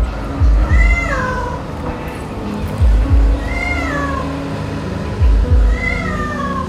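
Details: Cat trapped deep in a sewer for over 70 days, meowing near a manhole: three drawn-out falling meows spaced about two and a half seconds apart, each preceded by low thumping sounds, over background music.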